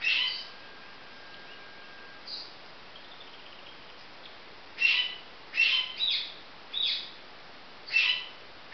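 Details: Young marmosets with a faint call early on, a quiet stretch, then a quick cluster of sharp high chirps and short whistles in the last four seconds over low hiss.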